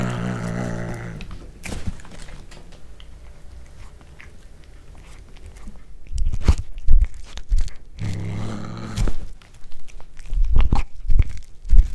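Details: Cat eating corn for the first time and growling over it, indoors, captured with a Panasonic DC-GH5. A deep buzzing growl opens the clip, then wet chewing clicks, a second growl near nine seconds, and louder crunching.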